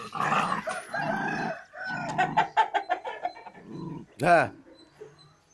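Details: Pandikona puppies at play-fighting, giving low, buzzy, rasping growls in three sustained bouts broken by short pauses, then one sharper rising-falling yelp near the end.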